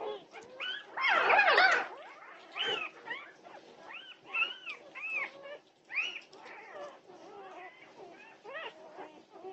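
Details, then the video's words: A litter of Norwegian Buhund puppies awake at 2:30 am on June 8, 2021, opening with a loud tangle of squeals, then a run of shorter curved whines and yips from several pups. "Puppy Pandemonium at 2:30am! Norwegian Buhund Puppies"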